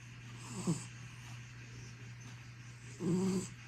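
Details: A domestic cat asleep, recorded 2 December 2024, gives two low, raspy snoring breaths about two and a half seconds apart against a steady background hum.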